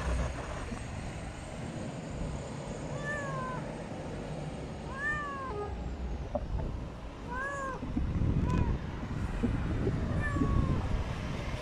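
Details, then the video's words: Friendly street cats of Istanbul, Turkey, meowing in rising-falling arched calls, several spaced over a few seconds, over steady low traffic rumble and outdoor city noise. "İstanbul'un cana yakın kedileri."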